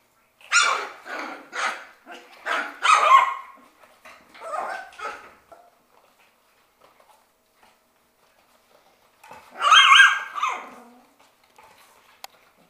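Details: Six-week-old Shetland Sheepdog puppies playing in their play room give sharp, high, yappy barks, about seven in a quick run over five seconds, then a pause before another loud burst of barking near the end.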